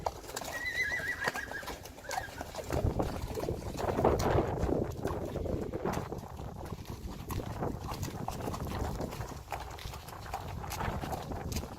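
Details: Friesian horse mares from a herd that do not want to go outside: a brief wavering whinny with stacked harmonics near the start, followed by heavy shuffling, hoof thuds and stable noise.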